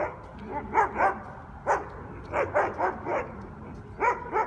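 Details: Guard dogs on Conti Street, New Orleans, barking loudly enough to be recorded as a noise violation; short sharp barks come in quick pairs and triplets with brief pauses between bursts, over a low hum.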